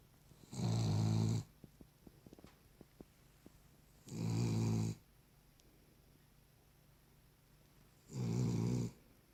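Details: Cavalier King Charles Spaniel. A Cavalier King Charles Spaniel snores steadily, each breath a low, rumbling rasp lasting under a second. The snores come roughly every four seconds, with quiet stretches and a few faint clicks in between.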